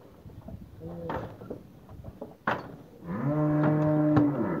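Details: Nelore and Anelorada cows from a herd of 24, some with calves and some pregnant, at Novo Horizonte, São Paulo, Brazil. Clattering and scattered knocks come first, then one cow gives a loud, steady, low moo lasting about one and a half seconds.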